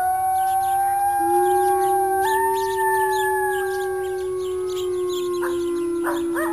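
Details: Wolf howling: long, steady, low tones that hold level for seconds, then step up in pitch, with a second voice overlapping near the end. Rapid insect-like chirping pulses run in the background.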